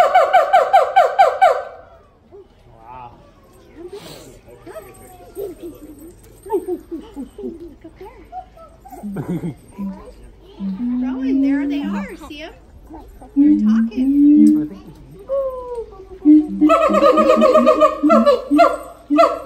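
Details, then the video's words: Siamang parents harmonizing at the Los Angeles Zoo. A brief loud wailing opens, quieter scattered barks and rising hoots follow amid background chatter, and loud harmonic wailing returns at the end. "Siamang harmony フクロテナガザル"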